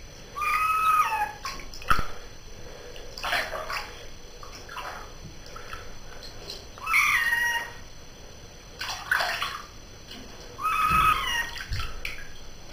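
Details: Pet cat taking a bath meows repeatedly, about four tonal complaining cries spread several seconds apart, with splashing water and a person's voice between calls.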